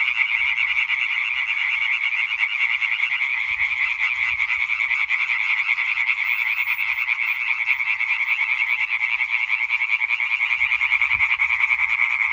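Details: European tree frog croaking concert from 20 May 2023: overlapping males produce a dense, rhythmic rattle of fast repeated croaks that never breaks, with only faint low background rumble.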